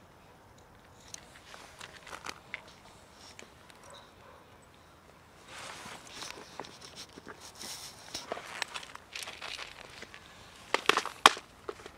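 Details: Only footsteps, rustling and crinkling handling noises are heard, with no animal calls. A burst of sharp clicks and rattles near the end is the loudest sound.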